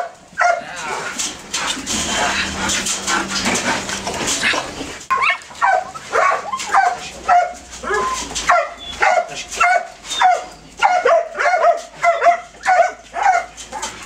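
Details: Belgian Malinois detection dogs in training; after a few seconds of rustling noise, a fast string of sharp, high whining yelps follows, about two per second, rising in urgency toward the end.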